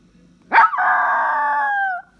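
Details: Domestic dog vocalizing to call its owner: a sharp rising onset, then a long, even, tonal howl sustained for about one and a half seconds, dipping slightly at the end. The background is quiet.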